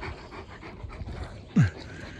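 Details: Leonberger panting in soft, quick rhythmic puffs, then a single short, sliding whine near the end before the panting resumes more faintly.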